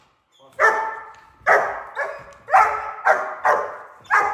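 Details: A young German Shepherd in training, around five months old, barks on command while being worked with a prey lure. It gives a series of sharp, full barks, one roughly every half to one second.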